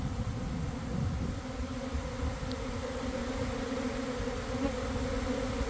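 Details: Honey bees of a swarm climbing back to join the cluster while a few begin to fan, early afternoon beside a garden hive; a steady, layered buzzing drone, unbroken, with low rumble beneath.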